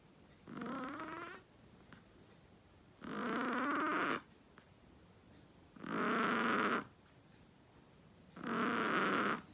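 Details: A small Chihuahua dog snoring: four raspy, buzzing breaths of about one second each, repeating roughly every two and a half seconds, with quiet pauses in between.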